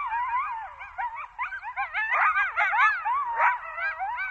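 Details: Coyotes in Zion National Park in a chorus of wavering howls, sharp yips and rising-falling wails overlapping in a tangle, several voices at once, with a faint low rumble beneath.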